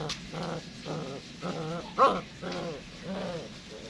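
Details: A Serbian Rottweiler trained as a guard and working dog in Can Tho, Vietnam, gives a run of deep, rough barks, about two each second.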